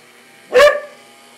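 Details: Border collie Owen, a dog scared of most noisy things and especially the drill, gives a single short, loud bark lasting about a quarter second over a faint steady hum.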